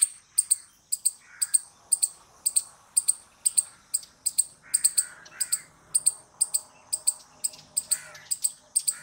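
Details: Squirrel chattering with a steady run of sharp, very high clicks, about two per second, evenly spaced, with occasional faint lower scratchy notes behind them.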